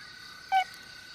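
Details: A male Bornean tree-hole frog, sugar-cube sized, calling from inside a dry tree hole it uses to amplify its weak mating call in rainforest, gives one brief, pure, hollow note against a steady insect-like hum.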